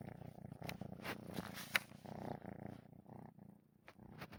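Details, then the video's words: Sleeping kitten snoring while moving its paws, a soft rhythmic low rumble with breathy pulses repeating quickly, several sharp clicks and brief rustles scattered through, quiet indoor setting. "котенок храпит и двигает лапками"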